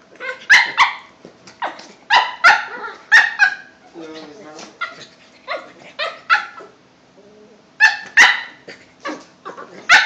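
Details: Two Cavalier King Charles Spaniels, a 5-month-old puppy and a 2-year-old, playing together at home: sharp high yapping barks in quick bursts, with low growls between them around the middle.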